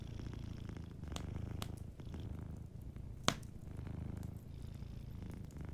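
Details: Low, soft purring from a sleeping cat, rising and falling in breath-long waves, with sharp crackling snaps from a warm fireplace, one louder pop near the middle.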